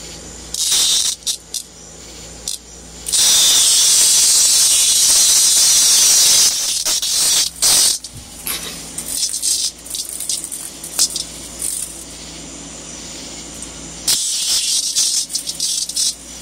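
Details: Cicada on a balcony at night, attracted by a light and toyed with by Minerva the cat, giving intermittent harsh high buzzes in short and longer bursts separated by pauses.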